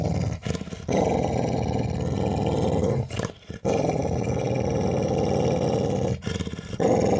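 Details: A playful pet Labrador Retriever, lying down and pretending to be aggressive while guarding its ball: a loud, nearly continuous deep growl broken by two short pauses.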